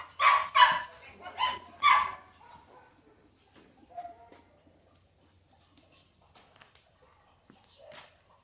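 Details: Dog barking: three loud, sharp barks in quick succession within the first two seconds, then a quieter short sound and near silence with faint noises.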